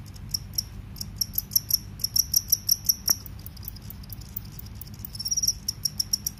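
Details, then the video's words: Cricket, field or forest cricket, giving high shrill chirps in short separate pulses, with a single sharp click near the middle and quieter trilling toward the end. "suara serangga jangkrik sawah vs jangkrik hutan"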